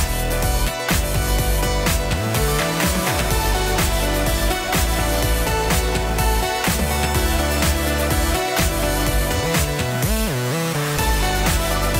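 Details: Loud electronic pop dance music with pulsing bass and synth lines fills the whole stretch, with no animal sounds.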